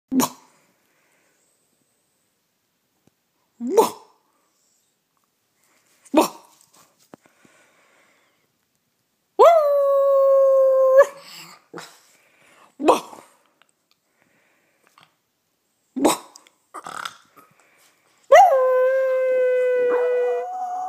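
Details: Pet male Yorkshire Terrier howling in imitation of its owner's howl: short sharp yelps every few seconds, broken by two drawn-out steady howls with bright overtones, held about two seconds each, the last wavering slightly lower.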